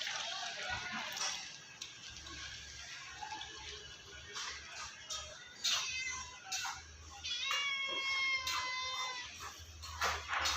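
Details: A black cat that follows its owner everywhere gives sweet meows: several drawn-out, harmonic-rich meows, the clearest a long steady one near the end, amid faint background music and a voice.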